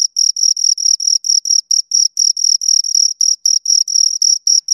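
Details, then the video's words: Two crickets chirping steadily, a high, bright trill of short pulses repeated several times a second, each chirp a sharp buzzy burst with a fainter higher overtone; no other sounds. "Two Crickets Chirp Sounds"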